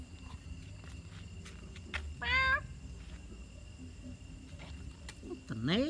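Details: A kitten trapped in a hole gives a short, high, rising and falling meow, then a second cry begins at the end; quiet background hum and faint voices nearby.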